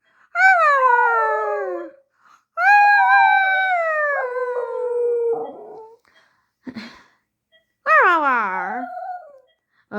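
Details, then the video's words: Xoloitzcuintle, a Mexican dog, indoors, giving long howling, wailing tones. Each starts high and slides slowly downward over one to three seconds, with short breaks between. There are three main howls plus a brief sharp sound in between. "sounds of the xolo Mexican dog"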